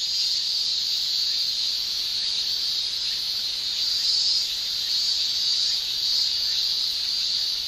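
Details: Japanese cicadas singing in a Japanese summer, males producing an unbroken, piercing high-pitched shrill that holds steady with faint rippling texture and no other sounds.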